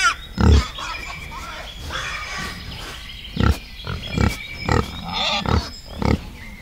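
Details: Wild boar grunting in a forest: short, deep, percussive grunts repeated irregularly about every half second to a second, over a faint high background hiss.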